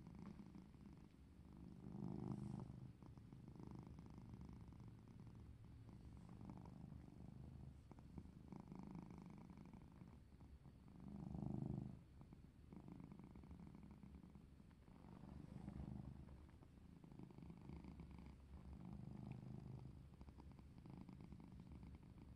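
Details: Purring from a sassy domestic cat being played with, a deep, even rumble pulsing with each breath, several louder swells spaced a few seconds apart, quiet room behind.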